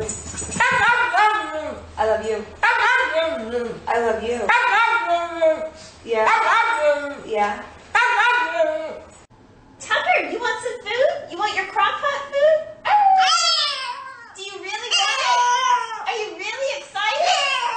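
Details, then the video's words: Talkative dogs making drawn-out, rising and falling howl-like yowls in repeated bursts, each one a sweeping, wavering tone, with music underneath at the start and brief quiet gaps between phrases. "Talkative dogs"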